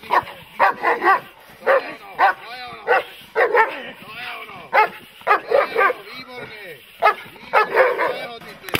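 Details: Dog in protection training, barking in loud, sharp bursts about every half second to second, some barks doubled, with brief gaps between volleys throughout.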